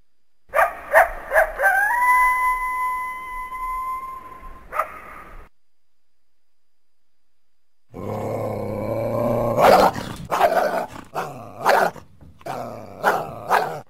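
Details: Coyote calling: a steady, drawn-out howl holds level for several seconds, then breaks off after a pause into a burst of sharp, rapid yips and short barks with ragged, uneven spacing.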